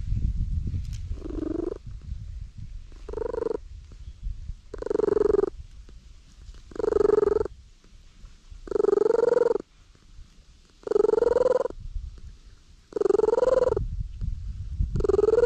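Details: Stray cat sitting squarely in the middle of a road while letting itself be petted, recorded on a GoPro HERO8: about eight drawn-out, harmonic meow-like calls, each under a second, repeated roughly every two seconds over a low rumbling background.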